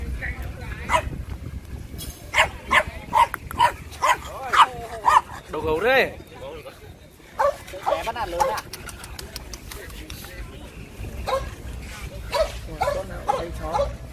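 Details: French Bulldogs at the first Hanoi French Bulldog group meetup in Yên Sở Park, Vietnam: sharp, short barks fire in quick bursts, several per second, pausing midway, over steady chatter from a crowd of people outdoors.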